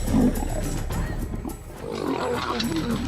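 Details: Three lion brothers in Kruger National Park, South Africa, in October 2009 fight over a kudu carcass after being drawn by buffalo distress calls, growling and snarling harshly, with music and a voice behind.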